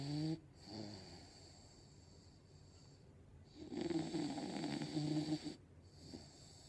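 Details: An English Bulldog snores while asleep and dreaming: rough, rumbling breaths with low harmonic snorts and a steady hiss behind.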